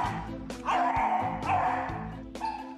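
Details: A young shelter beagle that barks incessantly gives sharp barks stretching into high, drawn-out baying cries over background music; the bark scares off potential adopters.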